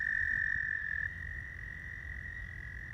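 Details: Male American toads calling in spring at a pond where they gather to lay eggs, calling so females can find them; a steady high musical trill, loudest for the first second, then continuing slightly softer, over low rumbling background.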